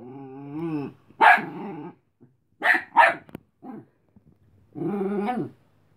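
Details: Cleo, a tired Chihuahua puppy who wants to sleep, tells Robin, a playful dog, to go away: a rumbling growl, then three sharp high yaps about a second apart, and another drawn-out snarling growl at the end.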